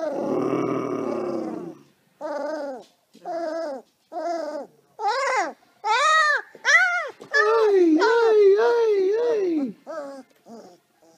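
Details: Xoloitzcuintle in Australia gives a series of drawn-out, arching howl-like notes, each about half a second, rising then falling, building to a longer wavering wail around the middle and trailing off in short fading notes; a louder rough opening sound precedes them.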